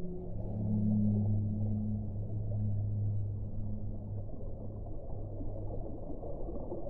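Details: Deep, long whale moans hold low and steady for about four seconds over a dense rumbling background, then fade out.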